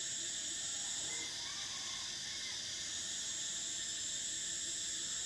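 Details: Cicadas in summer keep up a constant sizzling high-pitched buzz, the highest layer cutting out after about a second and returning near three seconds, with no other clear sounds.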